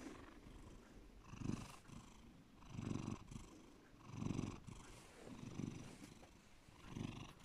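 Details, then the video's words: Bear the domestic cat gives a deep purr, low rumbling bursts returning about every 1.4 seconds, each louder inhale-like swell followed by a softer lull, steady and calm. "my cat Bear deep purring"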